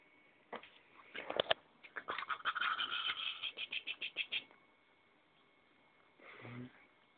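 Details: Ettore, a puppy on a bed, lets out a quick run of high, shrill yaps and squeals lasting about three seconds. A brief quieter rustle follows after a pause, over faint room noise.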